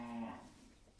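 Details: Two-day-old Sahiwal bull calf, sired with ADL 100% Sahiwal semen, on a farm in Gangni upazila, Meherpur, Bangladesh; a short, low harmonic moo opens the recording and fades within a third of a second.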